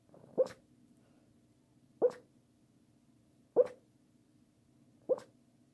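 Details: Pekingese dog talking in its sleep: four short, soft whimpering yips, evenly spaced about every one and a half seconds, over a faint low steady hum.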